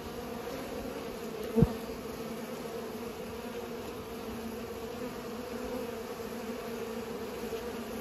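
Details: A continuous humming buzz from bees at work pollinating, level and droning, with one sharp knock-like click early on and otherwise steady background.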